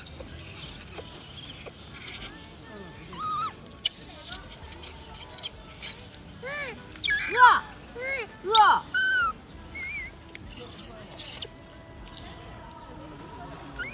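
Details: Wild baby macaque crying loudly after being bullied by its mother: a run of arched, squealing, harmonic-rich cries bunched in the middle of the clip, with sharp clicks and taps before and after.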